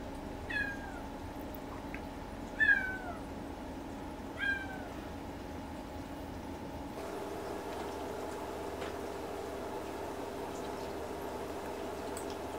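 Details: Crying for its mother on its second day in a new home, a Siberian kitten gives three short, descending meows in quick succession, then falls silent, leaving only a steady indoor hum.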